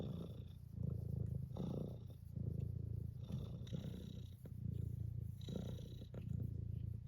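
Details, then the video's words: Tuxedo cat purring while wanting to be petted; a steady low rumbling purr with rhythmic pulses, swelling and easing roughly every second, a few brief faint higher sounds above it. "Pet me, Mom. Meow! Purr!! Murr!!!"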